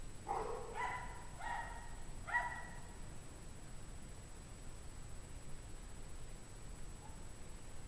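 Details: Cold-stressed or lonely pack dogs on a 17°F January evening, 2009; a quick run of four yappy barks in the first few seconds, then near silence with low hum.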